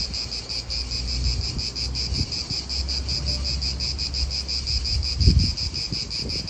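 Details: Cicadas keep up a loud, even, shrill buzz in an Italian park while wind rumbles below, rising in a stronger gust near the end.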